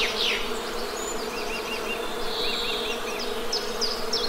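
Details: Western honey bee buzzing as a steady, low drone with layered harmonics that runs without a break, while small birds chirp and twitter overhead in repeated short notes.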